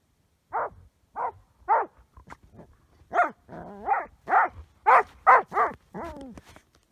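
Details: Ben, a border collie showing obsessive play with an ice chunk instead of his usual rocks, lets out a steady series of short, tonal yelping barks with whiny rising and falling notes, about two per second.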